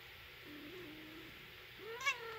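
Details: British Shorthair silver shaded chinchilla cat, a mother with her kitten, indoors in a kitchen. A faint, drawn-out low tone is followed by a short, clearer meow with rich overtones that rises then slides down near the end, over a steady low background hum.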